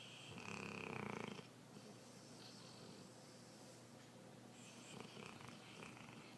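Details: Dog asleep on a couch, snoring: one loud, rasping, buzzy snore in the first seconds, then a softer, breathy snore about four seconds later, with a steady low room hum between breaths.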